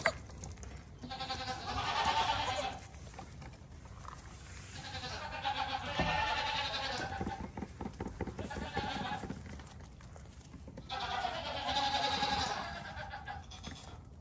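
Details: Young goat kid giving long, quavering bleats in three main bursts around two, six and twelve seconds, each a harmonic, slightly wavering cry, with faint shuffling between calls.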